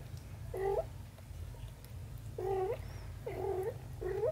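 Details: Mother cat with her kitten daughter, indoors: four short nasal meows with rising-falling harmonics near 0.6, 2.5, 3.4 and 4.2 seconds over a steady low hum.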